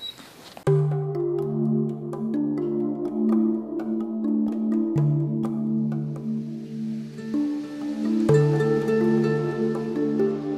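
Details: Calm new-age music with sustained ringing, bell-like tones and soft plucked notes; no barking or howling.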